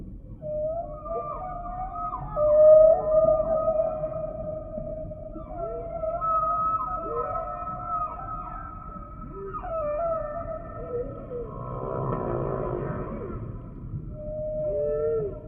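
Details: Humpback whale song units: long sustained, wavering mid-pitched tones like drawn-out howls, with overtones above, sliding slightly and breaking into a pulsed, buzzy passage near the end.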